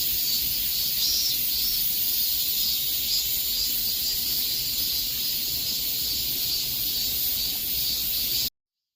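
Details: Cicadas singing in the peak summer heat: a dense, unbroken high-pitched hissing drone with faint pulsing in the upper buzz, steady in loudness throughout, then stopping abruptly just before the end.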